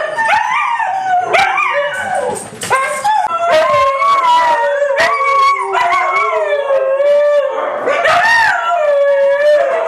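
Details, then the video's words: Three white huskies howl in chorus, voices sliding up and down and weaving over one another, with short yelping breaks and a sustained wavering howl running through to the end. "Three Howling Huskies"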